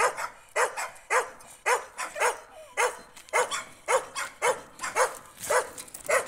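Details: On a street walk, a Jack Russell Terrier confronting a stray dog gives rapid, sharp, high-pitched barks, about two per second in a fairly regular rhythm, each short and abrupt with a slightly rising edge.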